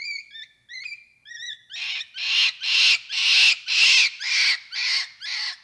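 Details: Capuchin monkey starting with a few thin whistled, wavering notes, then breaking into a steady series of eight loud, raspy screams, each about half a second long.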